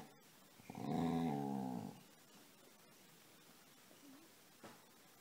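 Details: A pet dog called Casy, asking to be petted during play, gives one short, low, wavering moan of about a second, followed by quiet room sound.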